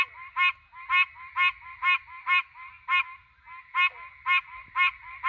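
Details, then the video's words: A threatened Pine Barrens treefrog calls at night in the Pine Barrens, giving nasal, honking 'quonk' notes about twice a second. "Pines at Night!! Pine Barrens Tree frog calling!!"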